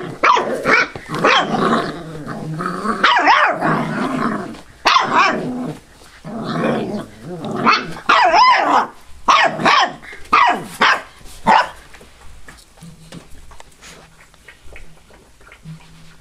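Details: Five-week-old Labrador/hound mix rescue puppies barking and growling in play, a dense run of overlapping yappy barks and grumbles for about twelve seconds, then quieter scattered sounds.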